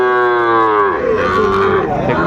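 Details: Sahiwal bull calf at a calf market on 10 February 2025, a Comilla farmer buying; one strong, steady moo lasting about a second, then sliding lower and fading into men talking prices.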